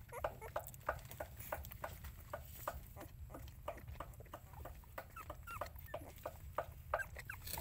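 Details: Mother dog looking after her puppies; short, squeaky whimpers come in quick irregular bursts, several per second, over a steady low rumble.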